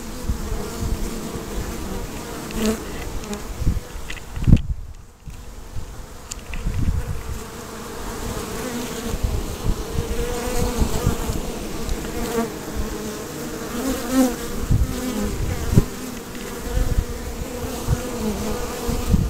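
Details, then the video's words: Honey bees swarming around a hive box on an organic farm in Markham, Ontario, recorded on a handheld digital camera; a continuous low buzzing hum with gusty wing wind, briefly cut out for a moment near the five-second mark. "Bees Buzzin Around My Head"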